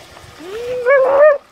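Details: Dogo Argentino in a swimming pool giving one drawn-out tonal vocal of about a second. It rises from low pitch, holds steady, then swells louder and richer with a slight wavering before stopping abruptly.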